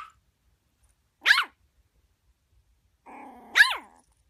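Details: A Yorkshire Terrier at home gives two sharp, high-pitched barks a couple of seconds apart while its owner asks what it is barking at.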